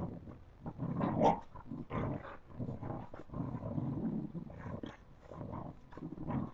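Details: Puppies at play, growling in low rough bursts that rise and fall almost without pause, with a brief higher yelp near the start.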